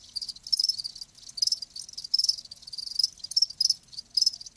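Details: Live crickets chirping in a natural setting: dense, high-pitched trilled pulses in bursts roughly every second, several insects overlapping into a steady shimmering chorus, with no other sounds present.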